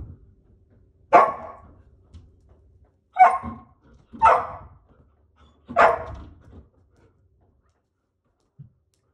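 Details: Poodles indoors, waiting their turn to go play outside, give four loud sharp barks spaced roughly a second or two apart, each bark a short bright burst, then quiet with a faint thump near the end.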